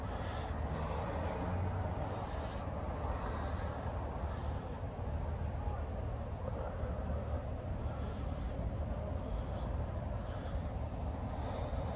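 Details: A steady low rumble of vehicle and outdoor noise runs throughout, with faint voices and no animal sound.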